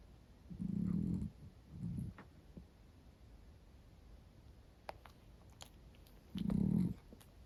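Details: Female Miniature Dachshund with black-and-cream coat snoring comfortably while asleep indoors; three low, buzzing, purr-like snores, two close together then one after a long quiet gap, with small faint ticks between.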